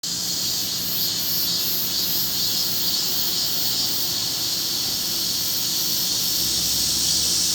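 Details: Cicadas singing in a chorus with wart-biters (katydids) on a hot, humid summer morning around 10:50 am, 26 July 2025, in Forsythia Park, Sinsa, Seoul, Korea: a dense, unbroken high buzzing hiss with faint regular pulsing and a low steady hum beneath.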